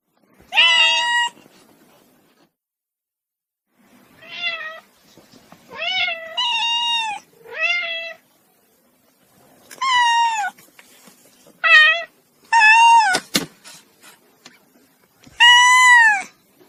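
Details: Young cat giving a string of about ten plaintive meows, some brief and clipped, others drawn out and arched, at uneven intervals with short silent gaps and one sharp tapping click midway.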